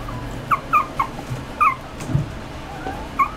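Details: Poodle-Chihuahua mix puppy gives short, high, thin whimpers in a quick cluster, then one more.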